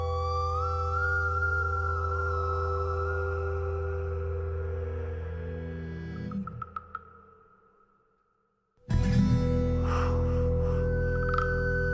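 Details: Sustained synthesized tones glide and hold, fade to near silence, then dense instrumental music resumes; no animal sounds.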